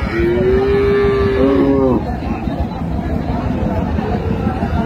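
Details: Cow with calf at Raniganj cattle market, Dinajpur, on June 26, 2025: one long, steady, low moo of about two seconds with a slight pitch shift at the end, then market noise and murmuring people.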